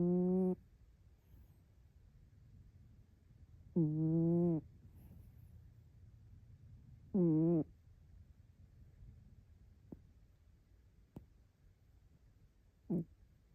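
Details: Sleeping orange-and-white rescue cat curled up like an ammonite, snoring with voiced, droning breaths, sometimes sounding like a question: three long, buzzy tonal snores about 3–4 seconds apart, then a short faint one. The room is otherwise quiet.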